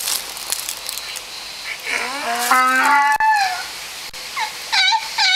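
A donkey brays: a long, low, harmonic groan followed by short, squeaky, pumping rising notes.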